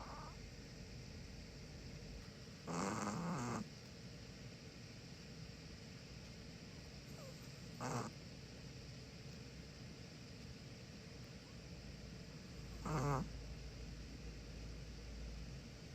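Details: Two sibling Chihuahuas asleep, a white six-year-old male and a black five-year-old female; three short rasping snore bursts arrive roughly five seconds apart over a faint, steady background hiss.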